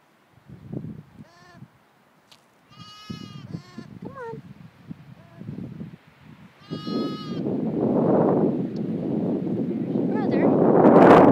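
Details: Two newborn lambs, four hours old, with their mother: several short, high harmonic bleats in bursts around three and seven seconds, with a woman talking softly between calls and rustling handling noise growing louder toward the end.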